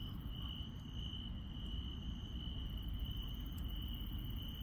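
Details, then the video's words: Nighttime countryside insects produce an unbroken, even, high trill, joined by a couple of brief, faint clicks higher still, against a persistent low-frequency rumble. "시골 밤의 정겨운 풀벌레 소리"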